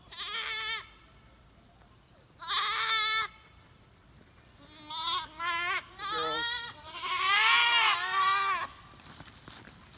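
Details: Monastery dairy goats walking home to pasture through the apiary in rural Appalachia, escorted by a Komondor guardian dog; repeated strong quavering bleats, several goats calling in quick succession, overlapping near the end.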